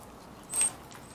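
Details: A single short, piercing high whistle-like chirp from Bubba, a round-tailed ground squirrel said to be ready for hibernation, rising out of soft background hiss.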